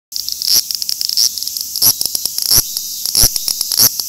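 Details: Large brown cicada, Graptopsaltria nigrofuscata, singing: a harsh, high sizzling hiss broken by sharp clicking bursts at an uneven rhythm of about one and a half per second.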